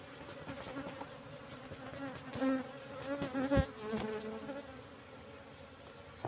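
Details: Honey harvest from a cultivated box colony of Apis cerana brought in from the forest around three months ago; several bees hum in overlapping tones, swelling louder for a few seconds in the middle, with soft handling noise.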